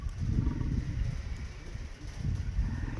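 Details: Male lion in a safari park in Crimea, courting lionesses, gives low, rough growling grunts in three pulses, with a steady hum of background noise.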